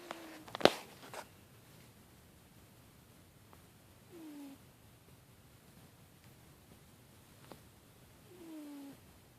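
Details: A domestic cat snoring indoors: two soft, drawn-out breaths about four and a half seconds apart, each carrying a faint falling wheezy tone, with a sharp click near the start.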